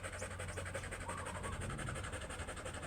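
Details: Oversize chocolate Labrador Retriever during a stud session at Rosales, Pangasinan, panting in quick, steady, breathy pulses throughout, an even rhythmic huffing over a low background rumble.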